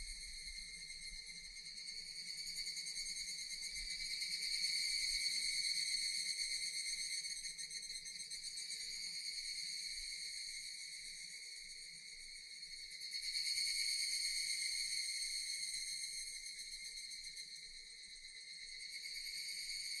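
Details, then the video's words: Continuous high, metallic buzzing of Japanese cicadas, rising and falling in slow waves, with two clear swells about eight seconds apart. "Japanese cicadas Sound effect"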